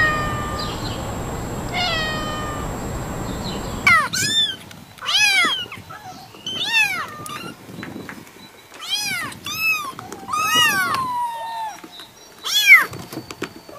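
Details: Cats meow repeatedly: a few faint, distant meows over steady noise at first, then a rapid series of loud, sharply arched meows, some overlapping, coming every half second to a second.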